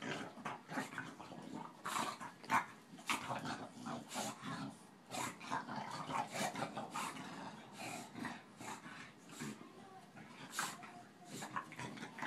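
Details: Boston terrier and bulldog, Tinker Bell and Lala, playing together; rough snuffling growls and grunts mixed with sharp clicks and scuffles of paws and bodies, loudness rising and falling through the romp.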